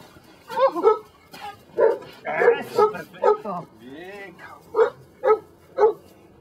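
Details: Belgian Malinois Brujo of the des Champs kennel, Mexico, working on control for personal protection: sharp, evenly spaced barks about every half second, a man speaking over the first part, then three final clipped barks.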